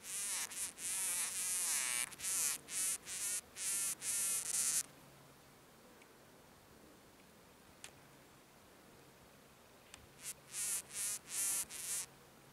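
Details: Red-banded sand wasp hiding its nest: a run of short, harsh buzzing bursts, each about a third of a second and repeated in quick succession, then several seconds of quiet before the buzzing bursts start again.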